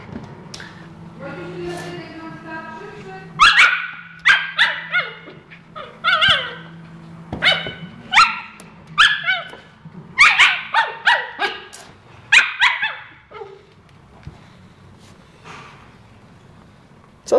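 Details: Husky giving rapid, wavering yelps and howl-like calls in a burst of repeated outbursts, each rising and falling, with a voice heard at the start.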